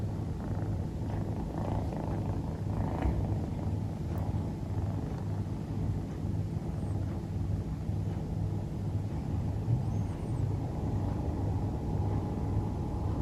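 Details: Female Scottish Fold kitten, dilute calico, dozing indoors and snoring: a continuous low rumbling with soft rhythmic pulses, steady throughout, with no other clear sounds.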